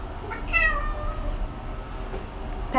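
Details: A female Bengal cat newly at a shelter gives a drawn-out, falling meow, her unique song, over a low rumble of background noise.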